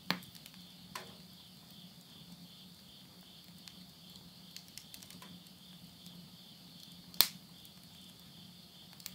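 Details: Midnight insects near a countryside house in Tottori, Japan, at summer's end, September 2020: an unbroken high rhythmic trill, with a few loud crackles from firewood in a stove and a soft low drone.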